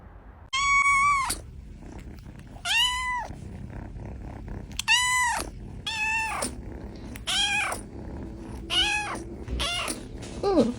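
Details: Cat fight between two cats, one white. Short arched, harmonic wailing cries sound roughly every one to one and a half seconds, about eight in all, each rising then falling, over a quiet indoor background.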